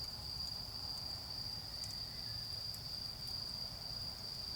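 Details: Steady high, thin ringing of autumn insects in a garden during a bonfire, continuous without pause, with a few faint fire crackles and low background rumble.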